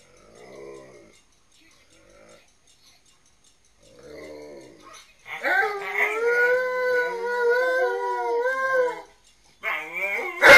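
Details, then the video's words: Two dogs, Tonka and Monroe, caught on security cameras singing to Memphis and Kira while their owner is away: soft murmurs for five seconds, then a long wavering howl that rises and falls, and a brief final burst. "The WaterWolves Sing To Gone To The Snow Dogs"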